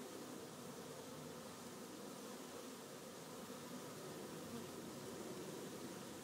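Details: Honey bees crowding one of the hives on a busy afternoon, a constant, slightly rough buzz with a low humming core and a level volume the whole time.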